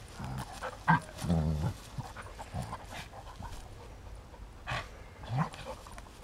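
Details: Rhodesian Ridgeback playing outdoors with a friend on a sunny day: short low, throaty growling bursts, one longer rumbling growl near the middle, mixed with breathy huffs and scuffling.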